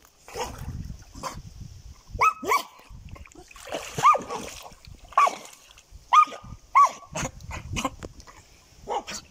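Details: German Jagdterrier producing a run of short yelping barks at roughly one-second intervals, each with a clipped rising tone, mixed with splashing and rustling noises and a faint constant high hum.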